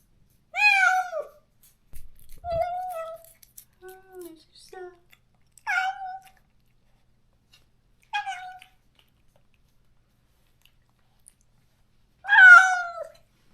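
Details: Countryside stray cat in Korea calling out every day for its lost companion, separated after neutering; loud falling meows open and close the stretch, with shorter softer mews and chirps between them and quiet gaps.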